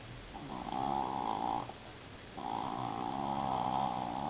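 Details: Japanese Chin named Mini, a pet dog, snoring indoors: two long rasping breaths with a nasal buzzy tone, the first lasting about a second, a short quiet gap, then a second drawn-out snore.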